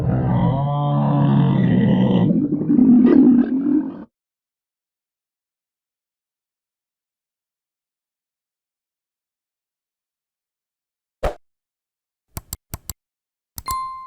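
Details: Camel giving a loud, deep gurgling roar with grunting pulses for about four seconds, then long silence broken by a few sharp clicks and a short tone near the end.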